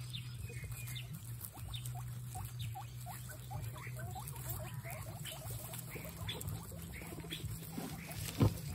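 Excited guinea pigs chatter in quick, short rising squeaks over a steady low hum.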